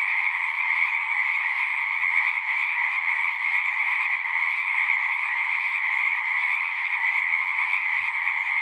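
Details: Frogs singing at a pond in a horse pasture, recorded on a Zoom 6: a dense, unbroken chorus of high trilling calls overlapping into a steady shimmering wall of sound, with no other noises.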